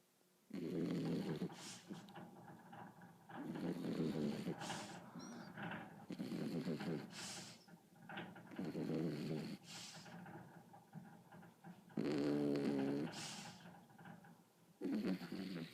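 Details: A sleeping Beagle snoring indoors: low, rumbling breaths in bursts about every two to three seconds, each lasting roughly a second, with quiet gaps between.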